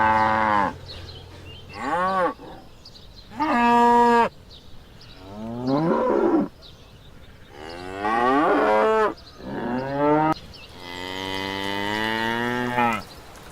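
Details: Cattle on a farm call repeatedly, with about eight short arched moos of varying pitch spread across the recording and a longer, flatter bellow at the end.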